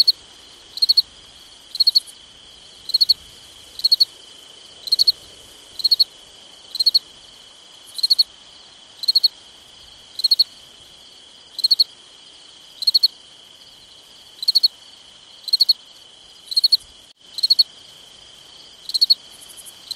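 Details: A summer night of crickets: regular three-pulse chirps roughly every second for twenty seconds, with a high continuous insect drone beneath and one brief dropout near the end.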